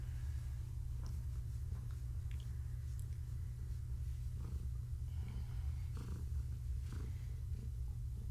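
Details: Pregnant long-haired tabby Gaia keeps up a continuous low purr while being petted in the evening. Small clicks and handling noises scatter across the deep, even rumble.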